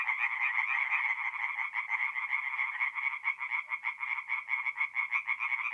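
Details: Night chorus of tree frogs at a North-East Italian forest pond in mid-April: fast, clipped, nasal croaks repeated in quick runs, loud at first, then pulsing in and out toward the end.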